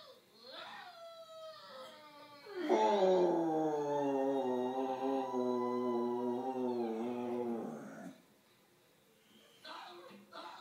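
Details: Pet dog howling at the television, as it does every time the movie Polar Express plays; one long, loud, sustained howl lasting about five seconds with gentle wavering pitch, preceded by softer tones and soundtrack audio.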